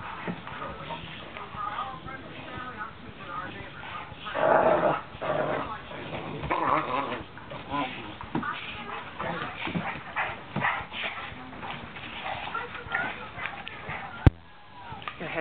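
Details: A Great Dane gives low growls and whines in bursts during play with other dogs while a person talks nearby.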